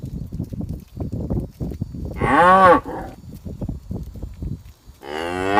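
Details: Tame cow in green pasture lets out one strong arched moo midway, amid steady low munching and rustling, with another moo starting at the end.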